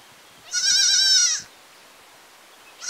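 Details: Goat in a village, one sustained, trembling bleat close to a second long and slightly falling at its close, with the start of a second bleat at the very end.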